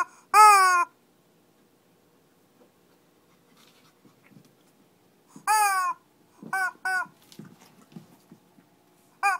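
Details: Shih Tzu in a small scuffle in Kochi, Japan: a drawn-out high whining yelp, a long silent pause, then another whine and a few quick short yips with faint shuffling, one more yelp at the close.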